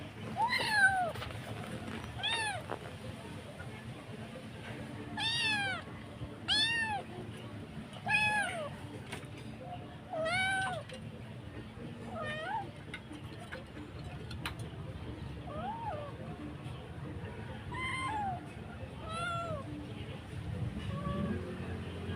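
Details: Stray mother cat calling her kitten with a long series of arched, harmonic meows, some rising then falling, repeated every one to two seconds, then fading and spacing out toward the end over low outdoor background rumble.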